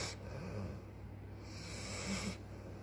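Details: Tired American bulldog named Sugar snores, giving a raspy, snorting breath that rises and trails off, then a second one begins near the end, with a low steady hum behind.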